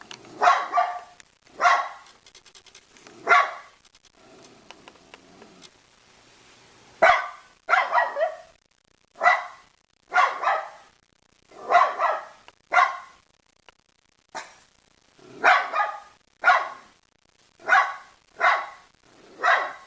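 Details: Dog barks while begging in steady bursts of sharp, mid-pitched woofs, sometimes paired in quick doubles, with a brief quieter rumbling pause near the middle.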